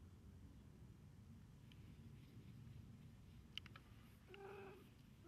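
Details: Domestic cat getting a head and face massage indoors, giving one short, low, harmonic meow near the end, preceded by a few soft clicks and taps in a quiet small room.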